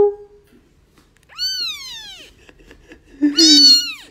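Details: Domestic cat meowing twice: a clear harmonic cry that rises then slowly falls, followed after a pause by a louder, strained meow, with brief human speech at the start.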